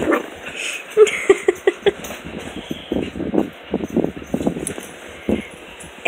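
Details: Puppies at play in the morning, giving short rough growly bursts and a few sharp yaps scattered irregularly through the clip, with soft scuffling noises of movement around them.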